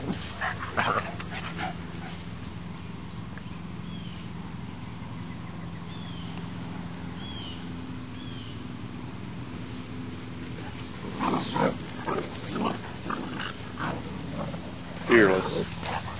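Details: Boxer puppy Max squaring off against Baby, a female English Mastiff, in a playful confrontation: faint thin whimpering yips mid-clip, then short rough bursts of barking and growling near the end over a low steady background hum.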